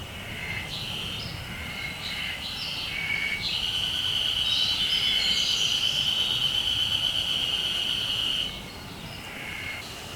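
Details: Japanese spring cicada singing at an unusual time of year; a quieter buzzing opens, then a loud, sustained shrill drone lasts several seconds before dropping back to softer, broken buzzing.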